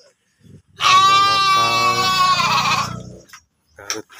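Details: Sheep raised for breeding in a pen in Cipunagara, Subang: one sustained, strong bleat of about two seconds that wavers near its end, with a low murmur of men talking underneath.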